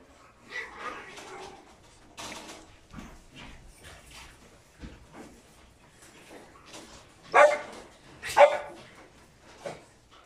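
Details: Male French Bulldog puppy born 16 December 2019 and looking for a home gives scattered soft yips and whiny snuffles, then two loud, sharp barks about a second apart near the end.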